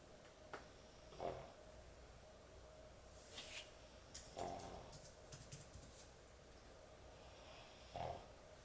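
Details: A sleeping dog snores heavily indoors, giving three rough, throaty snores about three to four seconds apart, each a short rasping burst; faint rustles and small clicks in between.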